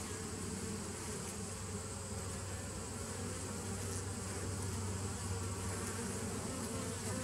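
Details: A deep, even drone from bees, recorded 27 September 2018, heavy in low humming tones, with the buzz rising slightly in loudness toward the end and no breaks.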